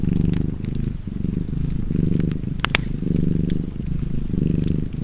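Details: A cat purrs in a deep, rhythmic rumble, each breath cycle lasting about a second, while wood crackles and pops in a nearby fire.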